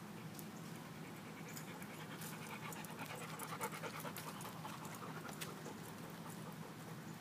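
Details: Dog at a dog park in sunshine, panting hard with quick, breathy huffs about three per second, uneven in rhythm, over a low outdoor background rumble.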